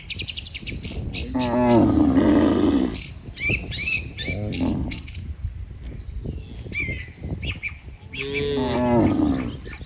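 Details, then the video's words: Cattle herd migrating across a river in search of fresh grass: two long, low, harmonic moos, one early and one near the end, with frequent high bird chirps and whistles throughout. "Kerumunan sapi Bermigrasi Menyebrangi Sungai Untuk Mencari Rumputan segar, Suara Sapi Moo"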